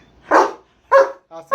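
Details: German Shepherd giving two sharp, harsh barks about half a second apart, followed by a short tonal bark, with a person talking in Bengali nearby.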